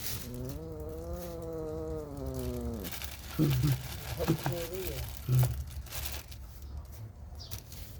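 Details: Mother cat staying close to her newborn kittens: a long, steady, slightly wavering meow of about three seconds, followed by a few brief, high squeaky mews over a low background rumble.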